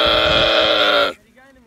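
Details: Young camel giving a long, loud, strained harmonic bawl of about one second that cuts off abruptly, followed by a person speaking Hindi.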